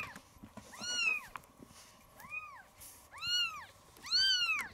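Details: Maya, a rescued kitten about 20 days old, abandoned a day after birth, reacting on first seeing the black cat Kuro; four high, arched mews spaced about a second apart, each rising then falling, over faint room noise.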